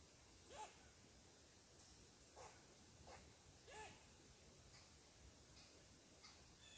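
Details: An angry squirrel barks, upset because someone is sitting on his tree. About half a dozen short, sharp barks come at uneven intervals, some with a brief rising chirp, over a soft outdoor hiss.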